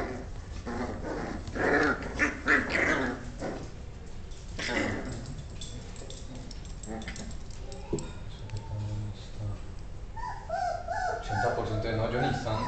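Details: Beagle puppies fighting while their mother steps in to end the fight; scuffling growls and whimpers rise in bursts, with high yelps near the end, over background Spanish speech.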